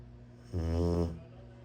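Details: A Rottweiler puppy gives a single deep, rumbling snore lasting about half a second.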